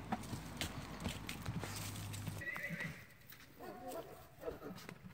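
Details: Sorrel Tennessee Walking Horse mare, about 15 years old and 14.3 hands, a trail-experienced family horse. Steady hoofbeats and low hum, then a short, wavering, harmonic whinny that fades out.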